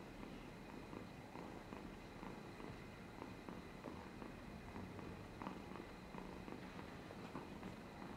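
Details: Purring house cat, drooling as it purrs, recorded 13 July 2022: low, even vibrating rumble with rhythmic breath pulses, quiet overall, with a faint steady hum in the background.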